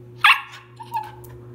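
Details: Siberian Husky puppy, 90 days old, lets out one sharp, bright bark followed by a couple of faint softer whimpers, over a constant low hum.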